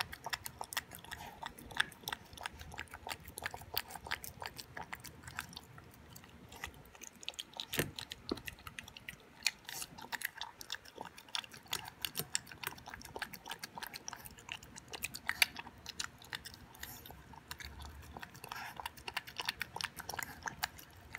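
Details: Toby, an 11-week-old Boston Terrier puppy, eating his first raw dinner of beef with veggies and yogurt indoors: steady wet chewing and crunching clicks, irregular bites throughout, a louder snap near the middle.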